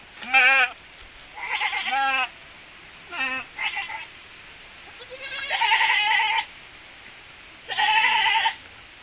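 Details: Young goats from a Javanese goat and Boer cross breeding; five bursts of trembling, wavering bleats, some higher and thin, others longer and quavering, with quiet gaps between them.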